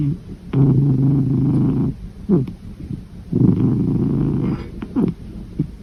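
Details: Cat asleep and snoring. Two long, coarse, low rumbles, each over a second, are separated by short, wheezing downward breaths. No other sounds are heard.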